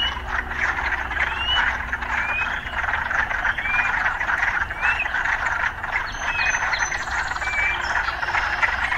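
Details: Frogs croaking together near city life, a dense buzzing chorus that never breaks, with repeated short rising whistles and a higher faint chirp near the end.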